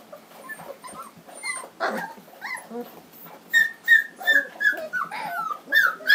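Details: Litter of three-week-old black Standard Poodle puppies, home raised in Lodge Grass, Montana, in 2012, whimpering and squeaking: many thin rising and falling squeals, growing louder and more frequent toward the end.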